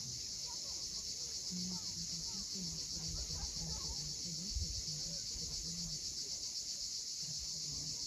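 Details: Sunset cicada chorus on the steep Crimean coast at Cape Fiolent: an unbroken, shrill, finely throbbing drone fills the recording, with intermittent low hums and a brief soft thump underneath.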